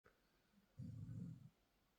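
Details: Sleeping six-month-old Belgian Malinois Shepherd puppy named LuLu MaGoo snoring indoors: one low, rumbling, growl-like snore lasting under a second, otherwise a quiet room.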